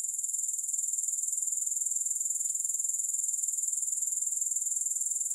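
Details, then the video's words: Grasshoppers producing a constant high, sizzling trill of rapid, evenly spaced pulses throughout, steady in loudness with no pauses, recorded without any music. "Grass Hopper Sounds"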